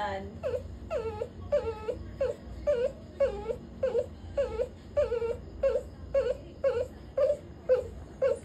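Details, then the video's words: A puppy that has just been scolded keeps crying in a long run of short, whining whimpers, roughly two per second, each dipping and rising slightly, over low background hum. "Im crying kasi napagalitan ako"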